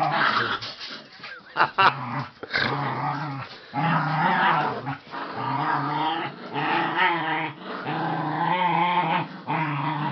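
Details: Dog growling during play with a rope: long, rough, low rumbling growls with strong harmonic bands, broken by short gaps and a few sharper yipping bursts.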